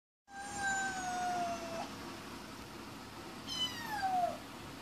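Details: Domestic cat meowing because it wants to go out; two long, drawn-out meows, the first sustained and slowly falling for over a second, the second shorter with a downward slide, in a quiet room.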